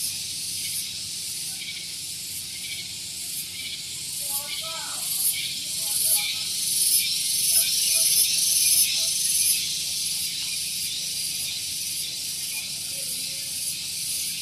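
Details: Loud morning cicada song at Gunung Geulis, Bogor, West Java: a continuous high shrill buzz throbbing in regular pulses about twice a second, with brief chirps from another bird or insect midway and low background hum near parked vehicles.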